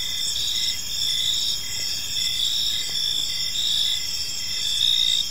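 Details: Crickets chirping in a serene park during the evening, a bright continuous high buzz with faint pulsed chirps and a slight swell in loudness near the end.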